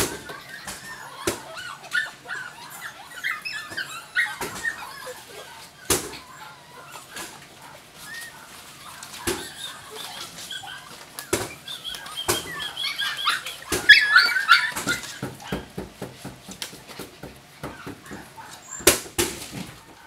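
Jack Russell Terrier puppies give high, thin whimpers and squeaky yips amid frequent clicks and knocks.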